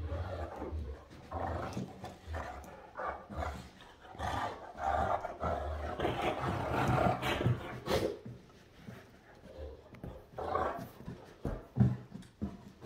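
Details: Morning play between Great Danes Rhapsody and Wächter, one chewing a ball; deep growls and grumbles rise and fall in irregular bursts, with a woman talking to the dogs over them.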